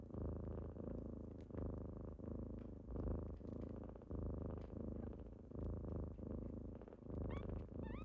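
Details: Deep, continuous purring from kittens waking someone up in the morning, pulsing with each breath about every 1.4 seconds, with a few faint high squeaky notes near the end.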